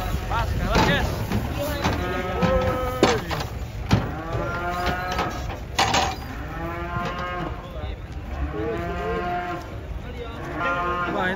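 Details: Cattle being unloaded from a truck, one described as old and somewhat aggressive; a series of drawn-out harmonic moos at varying pitch, overlapping with excited chatter and background noise.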